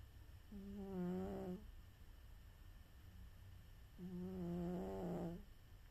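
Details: Napping domestic cat snores in two long buzzy inhalations, each with a steady low hum and stacked harmonics, separated by roughly three seconds of near silence in a quiet room.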